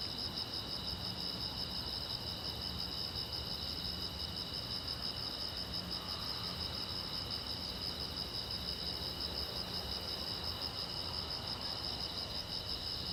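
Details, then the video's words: Crickets chirping at night beside a silent road, a steady, high, finely pulsed trilling chorus running unbroken throughout, with several overlapping pitch bands and a faint low rumbling hum underneath. "the Chirping Sound of Crickets"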